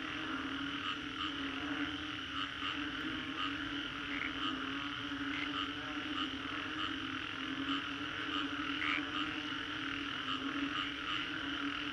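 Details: Frog chorus after a storm along the Green Corridor, Singapore, recorded as a 3D soundscape: a dense, steady wash of many overlapping callers with a droning low band, high ringing notes and scattered brief pulses throughout.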